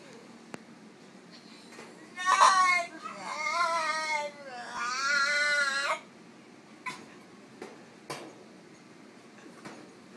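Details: Female French Bulldog at an animal clinic, drowsy from anaesthetic after routine surgery, showing mild discomfort: two long wavering, whining cries with rising and falling pitch, followed by soft snuffles and faint clicks in a quiet room.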